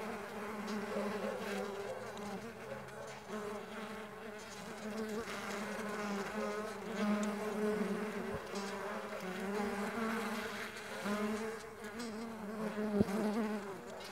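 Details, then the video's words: A cloud of Mandaçaia stingless bees flying, steady overlapping hum with wavering overtones, gently swelling and ebbing, one small tap near the end. "STINGLESS BEE SOUNDS"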